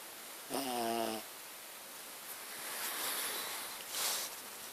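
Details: Sleeping house dog Muffin making loud snoring noises, compared to a plane taking off: a low humming voiced snore of under a second, followed by two airy, breathy rushes of breath in a quiet indoor room.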